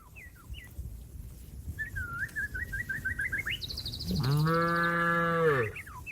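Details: Cattle calling companions to go back to the pen: birds twitter with short repeated notes, then a long, level, deep moo sweeps in and tails off.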